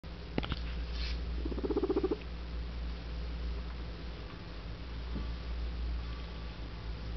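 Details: Guinea Weasley, an adopted pet guinea pig, gives a single short, rapidly pulsed rumbling burst lasting about half a second, preceded by a couple of faint clicks, over a steady low indoor hum.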